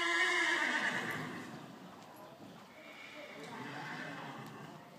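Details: Tennessee Walking Horse under saddle during a riding session, giving a loud harmonic whinny at the start that fades over about a second into rumbling hoof and arena noise, with a trainer's voice nearby.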